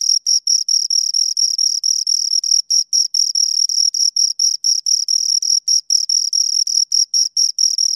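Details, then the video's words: Crickets, two of them, rubbing out sharp shrill chirps in quick rhythmic bursts, roughly two to three per second, some slightly longer trills among them, in a quiet setting. "Two Crickets Chirp Sounds"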